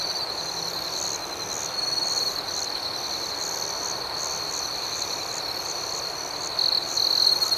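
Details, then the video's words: Nighttime chorus of crickets, a constant high-pitched ringing with faint rhythmic pulses. Near the end, a nearby cricket adds louder, rapid pulsed trills in two bursts. "Soothing Cricket Sounds"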